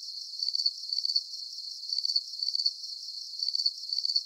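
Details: Crickets give shrill trilled chirps in quick doublets, each pair about half a second apart from the next burst, the pattern repeating evenly over a few seconds with nothing else audible.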